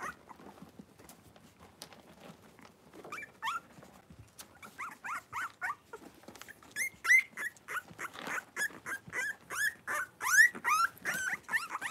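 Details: Young blenheim Cavalier King Charles Spaniel puppies, a litter of five born on New Year's, indoors in a puppy pen with their mother Paris; quiet at first, then a growing run of high squeaky whines and yelps, roughly every half second.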